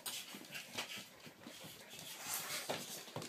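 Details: Labrador Retriever puppies panting in soft, breathy, hissing puffs that come irregularly, several each second, with faint rustling and shuffling around them.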